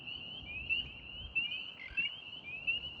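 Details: Chorus of spring peepers on a warm spring evening in Central New York State, April, alongside wood frogs; continuous high rising peeps blur together, with a few louder notes roughly every half second and faint background noise.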